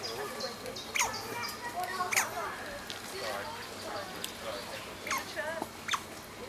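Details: Excited squeals from a group of Asian small-clawed otters at play among rocks in the afternoon. Bright chirps sweep steeply up and down in irregular bursts, several loud squeaks standing out over a faint background.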